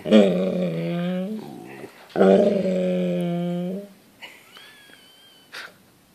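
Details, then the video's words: Golden Retriever indoors begging for dinner after his owners eat: two long, moaning grumbles with a steady low tone and a slight upward lift at the end, then a person's voice asking if he wants dinner. "Ziggy wants Din Dins"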